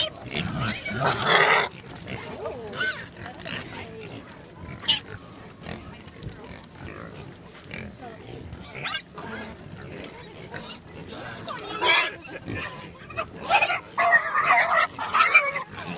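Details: Wild boars beside a roadside on the Coromandel Peninsula, New Zealand, give harsh grunts and snorts in irregular bursts with some squeals, with human voices from a car.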